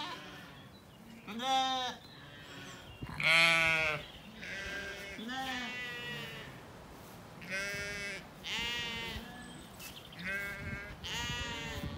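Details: Sheep calling to each other in a sunny spring orchard in County Kilkenny, Ireland, ewes and lambs grazing together: separate quavering bleats every second or two, alternating lower ewe-like and higher thinner lamb-like voices.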